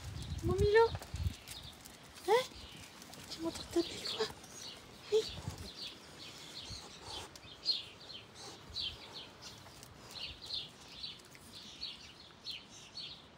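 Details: A small Chihuahua-mix dog up for adoption gives a few short, high whining yelps while a woman coaxes him in French; recorded 25 May 2023.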